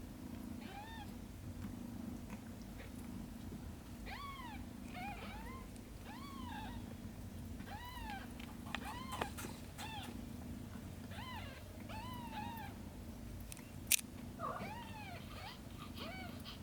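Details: Shin the cat looks after Camel's kittens while repeated high, bent meows come roughly every second in quick series, with brief pauses and a steady low hum beneath.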